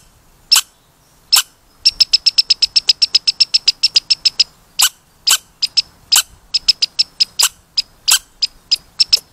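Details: Red squirrel giving loud, sharp squeaks: single spaced squeaks at first, then a fast even run of about twenty squeaks, followed by irregular single squeaks and short bursts.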